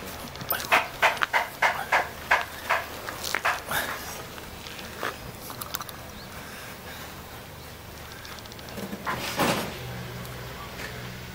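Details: Jindo dog puppy in Jeonju, North Jeolla, Korea, wagging its tail and calling to invite play; a quick run of short sharp yips in the first seconds, then quieter, with one more burst near the end over steady outdoor background.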